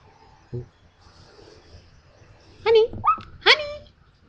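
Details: Female Chihuahua guarding the house at night in cold rain, barking at an intruder outside: a dull thump, then three or four sharp, high-pitched yelping barks in quick succession near the end, with a person's voice nearby.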